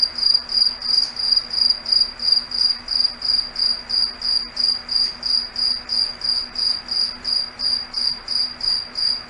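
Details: Night cricket chorus in a foggy forest, a high, bright trill broken into regular chirps about three per second, evenly paced and unbroken, over a soft low background hum.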